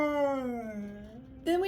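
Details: Siberian Husky screaming on a Sunday morning: a long drawn-out tonal wail sliding slowly downward, then a sharper rising cry breaks in near the end.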